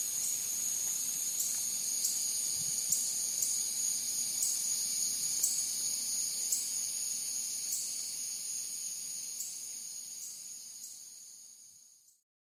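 A steady, high-pitched insect drone with faint regular pulses, like cicadas singing at night.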